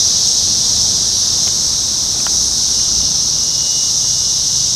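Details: A massed chorus of 17-year Brood X periodical cicadas recorded June 4, 2021, at a parking lot in Sharonville, Ohio. The high, steady sizzling wall of sound is broken only by a couple of faint clicks.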